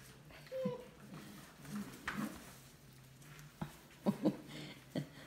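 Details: Six-week-old Golden Mountain Doodle puppies wrestling indoors. A short, high whine falls away early on. Scattered soft yips and squeaks follow near the end, with quiet human talk in the room.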